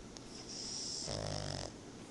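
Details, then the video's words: Tobias, a pet pug dog, snores while napping: one drawn-out rasping breath lasting under a second, with a low buzzing rumble and a hissy airy edge, following a soft inhale. "Tobias roncando"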